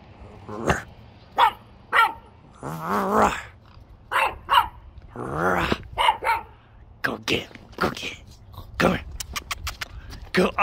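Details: A Boston Terrier and French Bulldog mix named Buddy, playing around while being called, gives sharp, excited barks and rumbling play growls.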